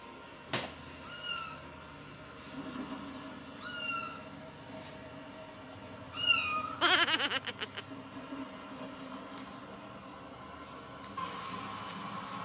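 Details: Domestic cats react to cats meowing on a television indoors; faint, drawn-out harmonic meows come every second or two from the TV, with a sharp rattling burst midway and a steady background hiss.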